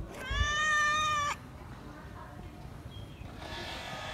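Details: Stray cat asking for more food gives one long, steady, even-pitched meow lasting about a second, then stops, leaving quiet background hiss.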